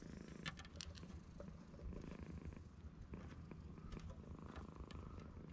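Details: Faint, steady low purring from a stray cat welcoming a visitor at a table bench outside a guesthouse on Tashirojima (Cat Island), Japan, captured by GoPro HERO8, with a soft hissy background and scattered light clicks.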